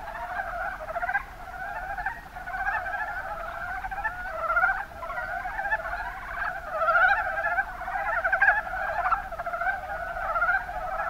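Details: Mountain brown frogs calling in the Kuma Basin, Kumamoto, Japan: a dense chorus of overlapping, rapidly pulsed chuckling croaks that runs continuously for the whole stretch, swelling louder in places, with no other clear sounds.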